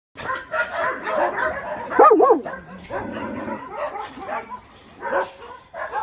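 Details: Abandoned medium and large dogs at a shelter in Gyeongju, South Korea, where about 200 trained dogs gather: overlapping barks and yelps from several dogs, with a wavering howl-like whine around the middle and people faintly in the background.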